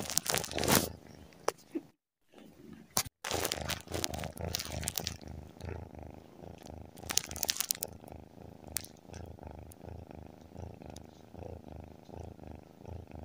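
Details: Sleeping tabby cat purring in a steady low rumble that swells and fades in rhythmic breaths, broken by two short silent gaps and repeated crinkling, rustling bursts.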